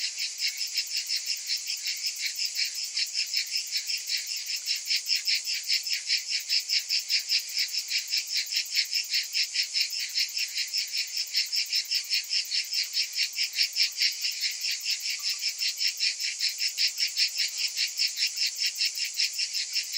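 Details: Cicadas in summer, many calling together: a dense, shrill, high-pitched buzzing chorus that pulses steadily about two and a half times per second for the whole stretch, with no other sounds.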